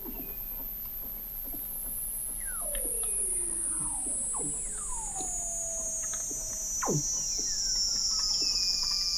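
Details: Weddell seals beneath Antarctic sea ice, McMurdo Sound, November 2017, from 21 m under the ice: a high whine sliding slowly down throughout, with scattered short falling whistles and clicks below.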